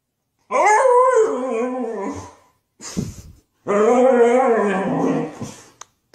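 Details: Siberian Husky throwing a fit indoors after a bath at not being let out: two long wavering, whining howls, each about two seconds, broken by a short harsh burst, with a person scolding nearby.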